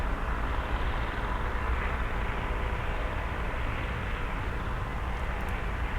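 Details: Steady low rumble of passing traffic or engine noise, with no animal calls audible.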